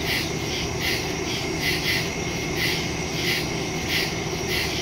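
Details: Night woodland crickets recorded September 2, 2023 with a smartphone and stereo mic; rhythmic bursts of high chirping repeat under a second apart, with a sharper clicking tone near each pulse and continuous low rumble beneath.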